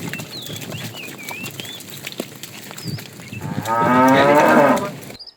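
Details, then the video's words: Herd of cows with calves being driven out in the morning in search of food; a softer, hoarse moo rises near the end after a stretch of scattered bird chirps and rustling. "Cute sounds of calves"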